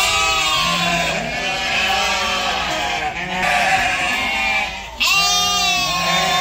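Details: Sheep on a farm in the evening bleat loudly and almost without pause, their quavering calls overlapping one another.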